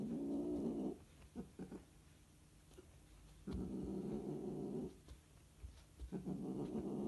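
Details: Scottish Fold cats mating, heard as three low, throaty yowls of about one second each. Between them are pauses with light clicks and taps.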